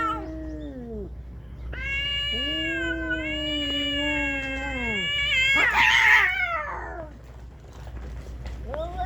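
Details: Fighting cats on Aoshima, Japan's cat island: drawn-out caterwauling howls that sag downward, ending in a harsh, noisy hiss-like burst before a short quiet and a fresh yowl.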